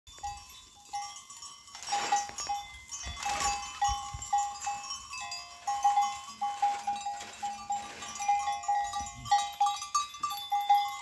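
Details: Goats calling while wanting to go out, a run of steady, nasal bleats with bright harmonics repeating through the clip, several overlapping, with scattered clatter and rustling between calls.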